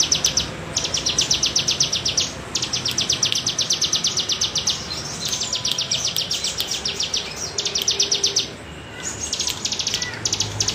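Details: Undulating bergelombang call of a bren cigun cicada, recorded as tutor material for songbirds: long trains of quick, evenly ticking buzzy pulses, about four per second, broken by brief pauses, with faint low background noise.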